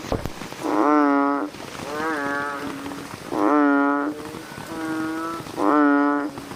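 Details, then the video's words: Night chorus of American bullfrogs, loud nasal bleating calls alternating with softer, more distant answering calls, roughly one call every second, overlapping into a continuous droning backdrop. "frog sounds activity at night - bullfrogs sound"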